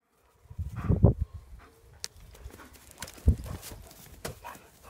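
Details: A pack of German Shepherds: a deep, low woof near the start, then a second heavy bark a couple of seconds later, with scattered thumps, scuffling and clicks between them.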